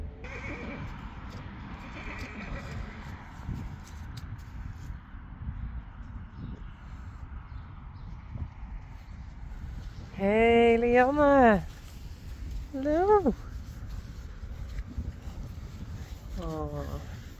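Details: Friesian horses at their stable as stablemates return. Three whinnies: a loud, long, quavering one that rises and falls, a shorter sharp one soon after, and a fainter third near the end, over low rumbling background noise and hoof clatter.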